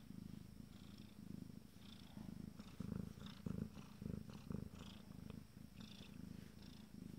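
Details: Rolling low purr from 14-day-old Abyssinian kittens of a first litter, pulsing in regular swells, with faint high squeaks and rustles scattered over it.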